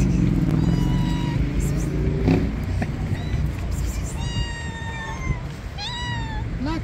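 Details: A hungry black cat calls out with repeated meows, level and slightly falling in pitch, clustered in the second half, while a constant low-pitched hum and rumble fills the background.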